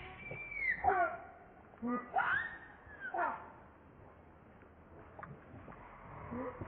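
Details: Hungry baby monkey Leo crying and begging its mother for milk: three loud wailing cries near the start, each sliding down in pitch, then quieter faint sounds.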